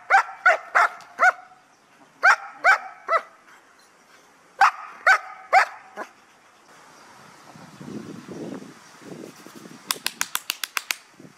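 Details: During guard-dog training at a Hà Tĩnh kennel in Vietnam, a protection dog fires off three quick bursts of four barks each, then shuffling noise and a run of sharp clicks follow.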